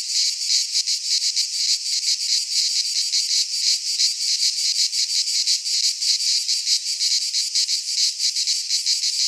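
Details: Cicadas singing in midsummer in a Greek pine forest: a loud, continuous buzzing drone, high and broad, pulsing rapidly about three times a second, with no other sounds.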